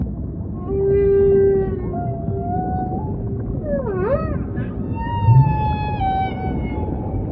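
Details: Humpback whale song: a long steady tonal moan, then a swooping down-and-up cry near the middle and a higher, slowly falling whistle-like tone, all over a low rumbling ocean background.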